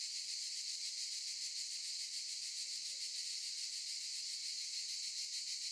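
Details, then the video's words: Olive-tree cicadas producing an unbroken, sizzling high drone with rapid regular pulses running through it, steady in loudness from start to end. "Sound of cicadas"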